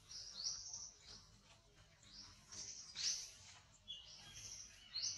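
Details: Very small baby monkey calling with thin, high squeaks that sweep upward, about one every two seconds, some louder and sharper than others, over a faint low background hum.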